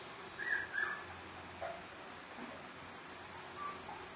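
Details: Golden Retriever puppies: two short, high squeaky whimpers close together near the start, then a few fainter, softer whines scattered over a quiet, steady background hum.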